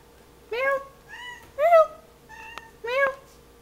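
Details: Pet cat playing with her favourite toy indoors, giving four short harmonic meows, each rising then falling, spaced about a second apart, with a soft click between; quiet room background.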